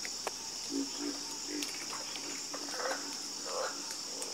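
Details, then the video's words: Soothing frog chorus: deep croaks in quick groups of two or three, some higher rattling notes, over an unbroken high-pitched insect whine. "Calming Sound Of Harmonious Frog Croaking"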